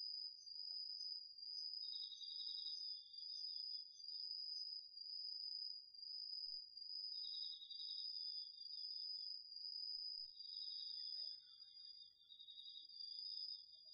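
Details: Crickets and other insects singing at night in an autumn garden plot in Japan, DR-40X recording: a constant high-pitched ringing with lower rattling chirp bursts coming in every few seconds, plus a faint brief lower twitter.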